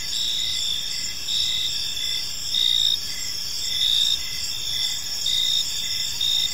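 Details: Crickets in a park at evening produce a bright continuous high trill, with louder pulsed bursts swelling about once a second over a faint low background hum.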